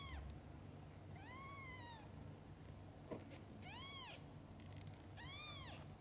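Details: Mother cats with their kittens, from birth until the kittens open their eyes. Three clear, tonal meows, each arching up then down, come at uneven gaps of one to two seconds over a steady low hum and faint background noise.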